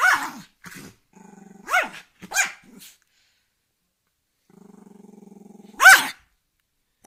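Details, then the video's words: Angry dog alternating short low pulsed growls with sharp snapping barks, a long steady growl near 4.5 to 5.8 seconds ending in a loud bark. "Angry dog growling"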